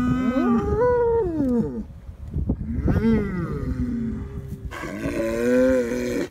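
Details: Mournful lowing from a Galloway herd near Barnstorf after a wolf killed an eight-month-old calf on the moor pasture: overlapping moos that bend upward and then sag, with rough breathy sounds between them.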